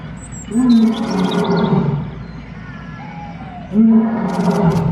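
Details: A lion at a zoo gives two deep, moaning roars, each lasting about a second, separated by a short pause.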